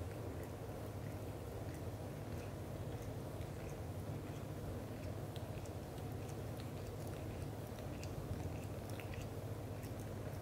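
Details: Black golden British Shorthair father Leo loving on mother Mimi at home; low, fast-pulsing purr runs the whole stretch, with faint clicks and fur-brushing sounds above it.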